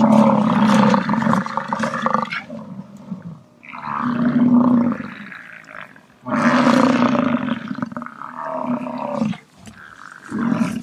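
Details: Long, throaty roaring bellows from an American bison, each lasting two to three seconds and separated by quieter, breathy pauses, with four bouts heard in turn.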